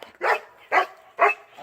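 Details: A dog barks while another dog plays with her frisbee: three short, sharp barks about half a second apart, in a quiet setting.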